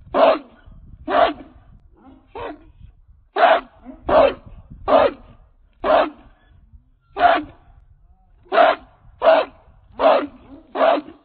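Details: A 66-pound male American Pit Bull Terrier on a chain gives loud, deep barks, repeated irregularly about once a second.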